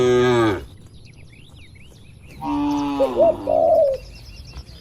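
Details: Grazing cattle from a tame herd on open village farmland give a short moo, then a longer rising moo after a pause. Dove-like coos overlap near the end.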